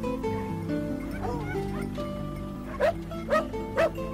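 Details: Karelian Bear Dog, a hunting breed that marks the spot where it finds game and begins barking; three short, sharp barks about half a second apart come near the end, over steady background music throughout.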